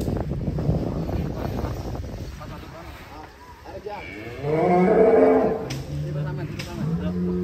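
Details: Giant champion cow named Rossi, shown with a child riding it, gives a low, drawn-out moo with stacked harmonics in the second half, after a stretch of muffled speech and background rumble.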